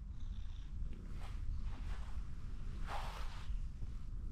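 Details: Ginger tabby cat climbing onto a fence and asking for more petting, giving a continuous deep purring rumble, with a brief rustling burst near the end.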